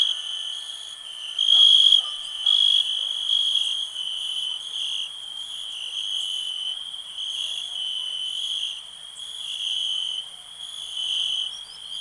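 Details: Cricket chirping in a steady, high, shimmering trill that runs unbroken for the whole stretch, swelling louder in a brief burst near the two-second mark before settling back to an even hum.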